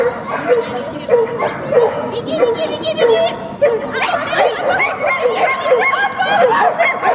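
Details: Two-and-a-half-year-old Thai Ridgeback Taya at a May 2017 agility trial in Yasenevo, finishing clean for fifth place among 17 dogs: sharp repeated yelping barks at an irregular pace, overlapped by nearby speech.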